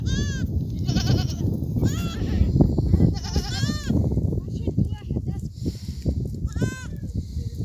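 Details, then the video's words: Goats in a herd bleating several times, wavering harmonic calls about a second long rising above constant low rumbling and thudding noise. "لحظات جميلة ورائعة لقطعان الماعز"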